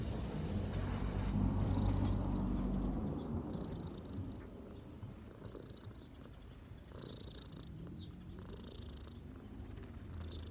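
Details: Street cat purring while relaxing on a person's knees; a low, steady rumbling purr at about four pulses per second, loudest in the first three seconds, then softer, with faint background hiss.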